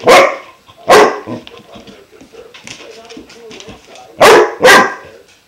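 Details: German Shepherd puppy, five months old, excitedly reacting to a new water buffalo horn; two loud barks, a stretch of low whines and grumbling, then two more loud barks in quick succession.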